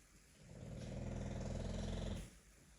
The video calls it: My English Bulldog Snoring Loudly